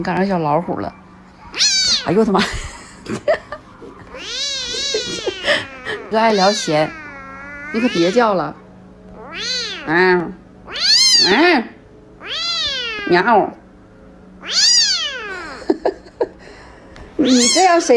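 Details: Domestic cat meowing loudly and repeatedly, about ten drawn-out, arching meows with rich harmonics, some rising then falling, spaced by short pauses, over a steady low hum.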